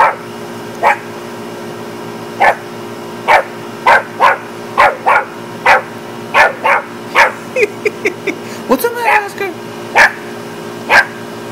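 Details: A West Highland White Terrier barks at a deer, short sharp barks roughly every half second to one second, with a steady background hum and a human voice calling briefly near the end.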